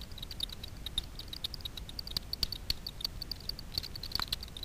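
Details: Echolocation of Daubenton's bats foraging low over Miedwie lake, north-west Poland, for insects on the water, heard through a frequency division bat detector. Dense, irregular clicking, several ticks per second, with a few louder snaps.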